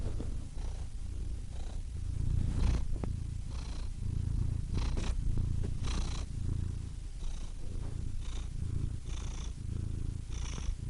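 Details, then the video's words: Cat purr, low and grainy, swelling on each exhale and easing on the inhale, with faint breathy hiss marking the breaths at roughly three-second spacing; a quiet, close recording. "Cats Purring Soothing Sound Effects (Relaxing Cat Sounds)"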